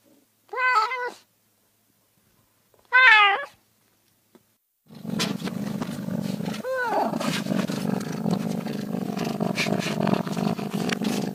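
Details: Cat giving two clear, clipped meows in quiet surroundings, after which loud continuous rushing noise takes over and nearly buries a further meow.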